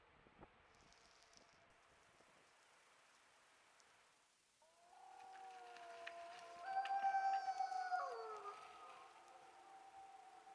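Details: Wild wolves in the Yukon caught on a trail cam: after quiet with a few clicks, several long smooth howls rise in overlapping tones, some sliding downward, with higher voices joining in a chorus near the end.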